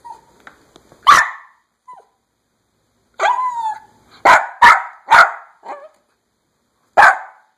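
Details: Pet dog yapping because he wants to go outside: sharp, loud single yaps in a quick run of five, with a drawn-out whine between them and faint whimpers at the start.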